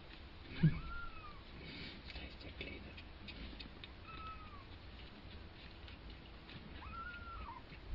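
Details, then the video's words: Two-week-old kitten learning to walk: three thin, high mewing calls, each a short arching whistle-like cry, spaced several seconds apart over a low background hum. "2 wochen altes katzenbaby lernt laufen"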